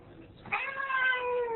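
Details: Female Ragdoll cat guarding the door and objecting to her owner's departure; a loud, sustained, slightly wailing meow that holds steady and tapers, with the owner's voice nearby.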